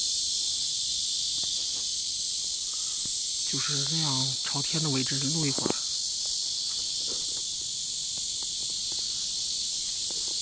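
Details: Cicadas by a river on a hot summer day, 23 July 2015, keep up a steady, hissing, high-pitched drone, with a man's voice speaking briefly partway through.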